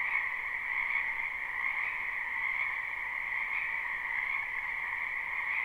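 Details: Frogs croaking together in a spring wetland behind a home, live and unlooped: a thick wall of trilling calls holds steady, gently rising and falling, with faint background hiss.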